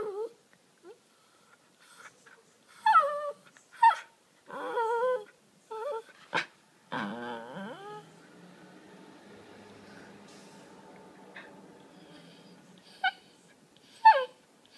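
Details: Miniature Pinscher Cooper begs indoors for his laser toy, giving a run of short high yips and whimpers, a long drawn growl-like whine near the middle, then quiet before two more sharp yips.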